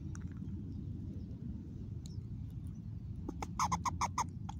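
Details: Mama squirrel calling in a new spot, August 2021: near the end comes a quick run of six or seven loud, harsh pulsed notes, with faint chirps and a constant low background hum.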